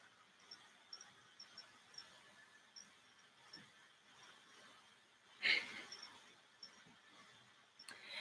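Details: Crickets kept in cages indoors as feeder insects give faint, high chirps repeating steadily in a quiet room, broken once by a brief louder squeak.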